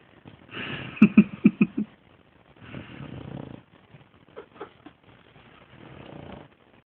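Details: Sleeping dog Gertie snores like a dinosaur: a burst of four or five quick rattling snorts, a longer hoarse breathy rasp, two short snuffles, then a faint drawn-out wheezing breath, separated by near silence.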